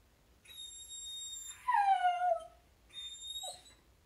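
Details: Luna, a Samoyed, whines in the house on seeing her best dog friend pass before playtime. A long, thin, kettle-like tone runs into a loud, downward-sliding whimper, then one more short high whine.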